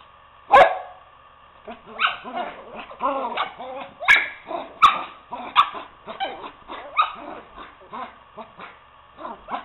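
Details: Two poodles, Toby and Lucy, wrestling indoors as Toby tries to coax Lucy off the couch to play: a busy run of rough, throaty play growls and short yips in quick uneven bursts, with one sharp bark-like burst near the start.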